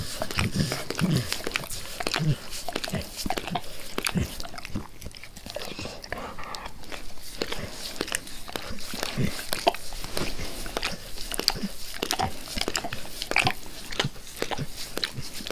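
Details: Pet dog Max licking his owner's face with zeal, a steady stream of sharp wet clicks and slurps, several per second, continuing without pause and with no voices.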